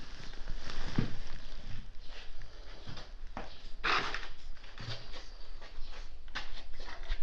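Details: Stray calico cat that had been sleeping on a futon, sneezing nonstop after waking: a sharp broadband burst near one second and a stronger explosive sneeze near four seconds, with softer breathy bursts between, indoors.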